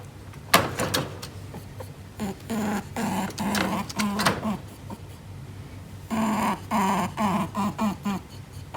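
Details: Indoor pet Netherland Dwarf rabbit snorting through its nose, seemingly territory-conscious; bursts of rough, huffing puffs in uneven runs, with a sharp knock near the start and steady room noise.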